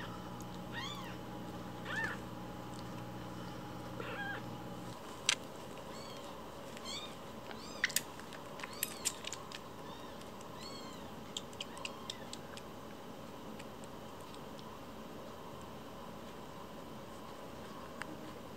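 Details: Fostered rescue kittens Cookie and Nan, one week old with umbilical cords still attached, give high, thin mews in short arching bursts, clustered early then scattered, over a steady low hum and faint clicks and handling noises.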